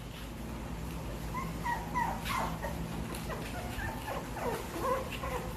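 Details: A small dog at play gives soft, high whining whimpers and short yips, several faint rising-falling cries scattered over a few seconds against a low steady hum.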